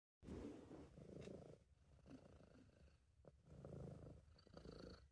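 A British Shorthair cat purrs in a low, steady rumble that swells and fades with each breath.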